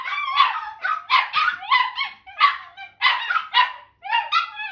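Italian Greyhound puppies howl together in short, wavering, overlapping yowls.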